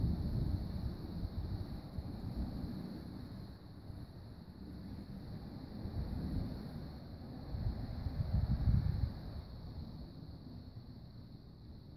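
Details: Outdoor wind buffets the microphone in a deep, uneven rumble that swells and fades, with no other clear sounds.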